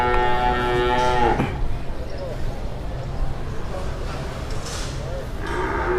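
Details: Jumbo cow at an Indonesian livestock market, drawing onlookers and dealers after arriving early; a loud moo opens, a deep harmonic tone lasting about a second that cuts off abruptly, followed by murmuring people and market noise.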